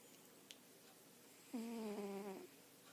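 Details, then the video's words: Pet cat snoring in its sleep, one drawn-out nasal snore of under a second with a steady tone that dips slightly lower at the end, over quiet indoor room noise. "Snoring cat"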